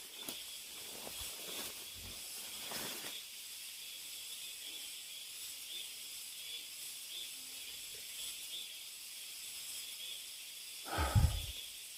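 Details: An unbroken shrill hum of cicadas fills a deep mountain forest. A few scuffing footsteps sound at the start, and a single loud step lands near the end.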